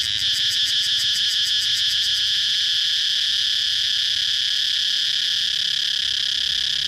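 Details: Shrill cicada chirping. It opens with about two seconds of fast rhythmic pulsing on top of the buzz, then settles into an even, unbroken high-pitched drone.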